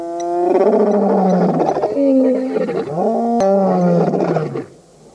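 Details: Lions of the Birmingham Boys coalition roaring at a dam on Djuma Game Reserve, Sabi Sand, South Africa, in August 2016; long, loud overlapping roars with strong harmonic tones, falling in pitch, continuous for about four and a half seconds before fading.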